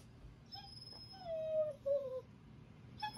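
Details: A German Shorthaired Pointer whines in high, drawn-out notes that slide downward while someone holds his tug toy.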